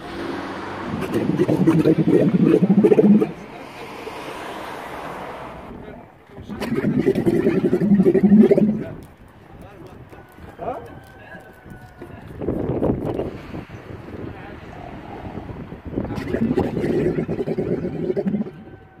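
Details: An excited, aggressive male dromedary camel in rut before mating inflates a red balloon-like sac from its mouth, making deep, gurgling rumbles and blowing sounds in bursts of a few seconds.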